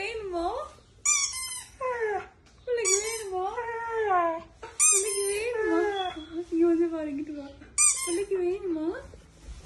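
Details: Dog seeming to talk while a woman squeaks a toy in front of him: wavering, rising and falling whines and yowls come in bursts, alternating with sharp high squeaks from the toy, indoors.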